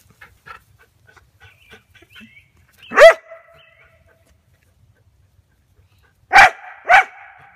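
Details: Male Border Collie barking at a tree branch pulled down by a tethered ball while another collie herds the ball during play: one loud sharp bark, then two quick barks near the end, with faint scuffling between.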